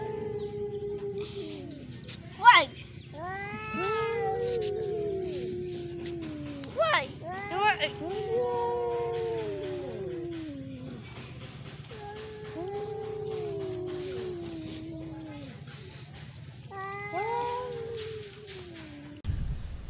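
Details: Cats facing off in a duel trade repeated drawn-out caterwauls, each a long howl that swells and sags in pitch, with sharp yelps between bursts and a human voice speaking at times in the background.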